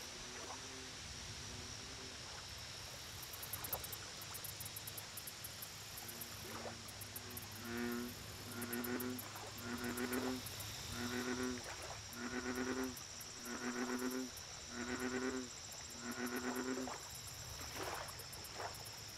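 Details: American bullfrog at a lake: after faint distant croaks, a run of about eight deep, resonant, buzzy croaks roughly one second apart, with pulsing insect chirps and a steady whine high above.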